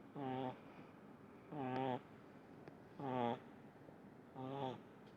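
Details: Deeply asleep, the small pug Munichka snores in four sharp-edged buzzy bursts, regular at about 1.4-second spacing, each a rough droning rattle, with faint clicks in the quiet gaps.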